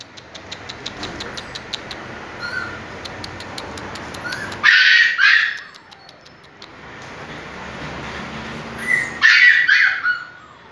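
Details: Bullmastiff, a large domestic dog breed, giving two loud, harsh barks roughly four and a half seconds apart over a faint steady background hum.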